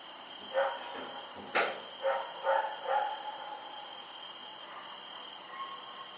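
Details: Rex, a dog barking while running around in the night, recorded Oct 7, 2018: a few moderately loud barks and one sharp click-like knock, over a steady background hum.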